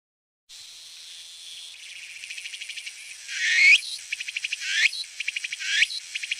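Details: A Walker's cicada (Meimuna opalifera) gives a high, sizzling buzz that breaks into rapid pulsed phrases punctuated by rising swoops.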